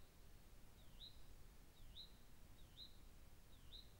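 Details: A cougar filmed by a trail camera gives thin, high, bird-like whistled chirps that dip and rise about once a second. The purpose of the call is unknown; the recorder wonders whether it is calling for a mate or for young.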